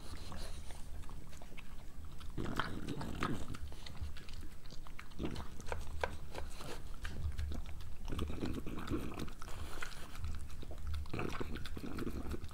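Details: Moolah, a pregnant French Bulldog, eating her breakfast: bursts of crisp crunching and wet chewing come in clusters with short quieter gaps, steady bites throughout, with a low constant hum underneath.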